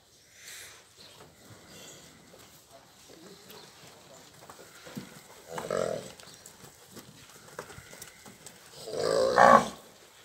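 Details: Nelore cattle from a herd of calved and pregnant cows near Ribeirão Preto, São Paulo state; two low, drawn-out bellows about four seconds apart, the second louder, over soft background rustling and distant sounds.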